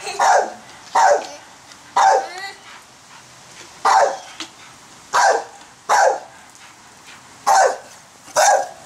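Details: In a backyard, a female pit bull barks at people making giant bubbles. Nine loud, harsh barks come at a steady pace of roughly one per second, with short quiet gaps between them.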